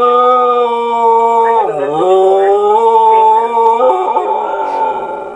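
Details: Pet dog howling in response to an answering machine, one continuous mournful howl that dips sharply in pitch, recovers, then wavers and climbs again before trailing off.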